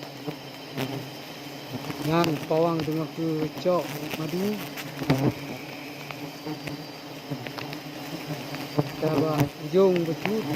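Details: Wild honey bees buzzing during a forest honey harvest from a large tree in Aceh, Indonesia; a steady low droning hum runs throughout, with men's voices talking over it in short bursts.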